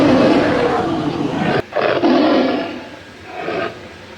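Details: Tiger roar played as an example, a type of animal the speaker says can be seen in zoos; broad, rasping bursts filling the low and middle range, one long roar breaking off abruptly, then two shorter fading roars.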